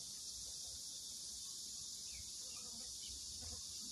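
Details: Cicada chorus over a vegetable plot with corn that has begun to ear: an unbroken shrill hiss-like drone filling the whole stretch, with faint low rustles underneath.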